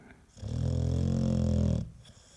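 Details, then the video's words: Single deep snore from a sleeping American Staffordshire Terrier indoors, a steady low rumbling drone lasting about a second and a half, framed by quiet breathing. "4 Минуты собачьего храпа | Храп | Стаффорд | Стаффордширский Терьер"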